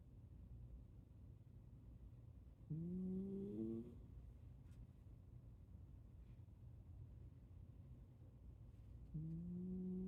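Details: Sleeping Shiba Inu snoring: a steady low rumble broken twice by whistled nasal tones that climb slightly and hold for about a second, near the middle and again at the end.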